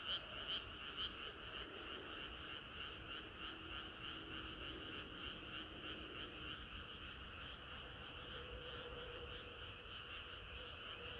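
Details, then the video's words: Summer-night frog chorus, a thick blended croaking with a few louder pulsed notes at the start, then an even wash of many callers and a faint low tone in the middle. "개구리들의 합창은 끝이 없어라"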